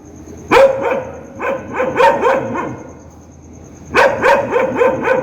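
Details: Angry dog barking loudly: two bursts of rapid, harsh barks, several per second, separated by a short quiet gap, over a faint constant high-pitched hum.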